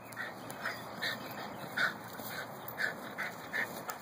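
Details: A Miniature Pinscher attacking a small groundhog in June 2015 gives quick, high-pitched yapping barks in an uneven series.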